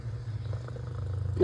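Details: Domestic cat purring while watching birds and a squirrel outside; low, steady rumble with faint regular pulsing throughout, a soft noise at the very end.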